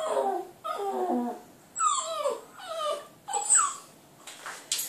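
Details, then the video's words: Clyde, a Border Terrier pup, howling at a computer indoors: a run of wavering, drawn-out howls, each rising then sliding down, some ending in higher yelping notes, split by brief pauses. "clyde puppy howling at computer"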